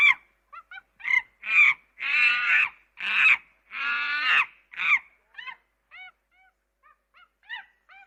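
A monkey gives loud, harsh, screeching calls, then a string of short squeaky chirps rising and falling.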